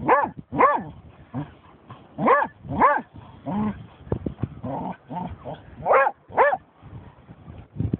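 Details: German Shorthaired Pointer barking at a dead seagull it has found: loud, ringing barks, some in pairs, mixed with softer huffs, while a man talks encouragingly nearby.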